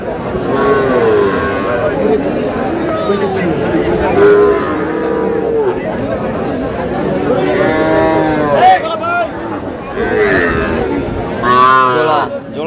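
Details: Small bull calves at a cattle market in Comilla, Bangladesh, on 10 June, where a farmer is buying them; several drawn-out, harmonic moos rise and fall over men bargaining loudly in Bengali, with crowd chatter behind.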